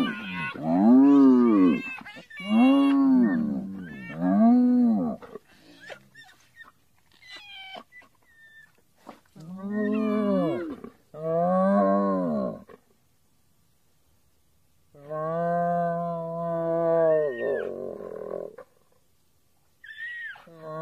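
A hyena gives a series of deep, rising-and-falling moaning calls repeated in quick bouts.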